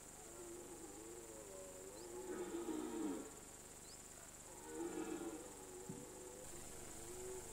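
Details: Mountain-pasture red deer in the September/October rutting season gives two swelling roars. Each starts as a wavering groan and builds to a gravelly, guttural peak, with a short low grunt between them.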